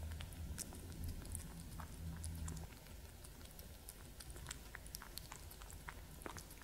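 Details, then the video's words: Cats Gordy and masterYoda eating and drinking: rapid uneven chewing and lapping ticks, roughly three per second, with a low rumbling hum in the first half that fades, then quieter crisp clicks. "Cat Gordy&masterYoda Drink Eating ASMR"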